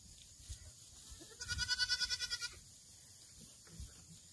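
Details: Black goat kept on a farm in Gimhae, South Gyeongsang Province, South Korea, 8 September 2024: one long wavering bleat of about ten rapid pulses lasting a second, with soft low bumps before and after.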